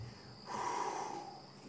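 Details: An African buffalo grazing about three feet away at night in the Sabi Sand, 14 March 2016 after sunset, snorts out through its nose, a breathy rush of air lasting under a second.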